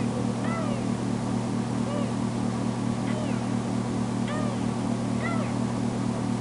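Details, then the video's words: Female foster kitten Tamera, freshly spayed, calling out when left alone; five or so short curved meows spaced about a second apart, partly buried under a loud, steady low hum. "Poor Tamera Crying For Me"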